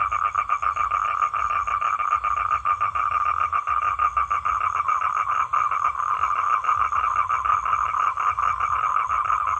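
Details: A calling male toad courting females gives a continuous buzzing trill of fast, even pulses, holding one steady pitch for the whole stretch with no other clear sounds.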